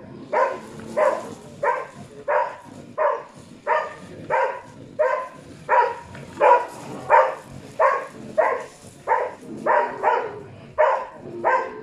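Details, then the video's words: During a bear test with a mechanical bear, a Karelian Bear Dog gives a steady run of loud, rough barks, roughly 88 a minute and evenly spaced. Recorded in Tornio, Finland, on 28 June 2019, with low background murmur. "Karjalankarhukoira karelianbeardog Konekarhu Jokke Karhutesti karhukoira"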